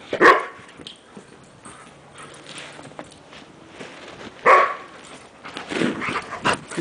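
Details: Cosmo, a Standard Poodle, plays in the snow during a game of fetch with a ball. He gives two short, sharp barks, one at the start and another about four seconds later, with quieter rustling and movement noise in between.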